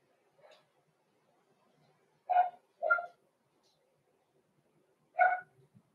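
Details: Cavalier King Charles Spaniel puppies, blenheim, six weeks old, Roman and Blue in a home puppy pen on a live stream: a faint yip, then three louder ringing barks with clear overtones, spaced one to three seconds apart.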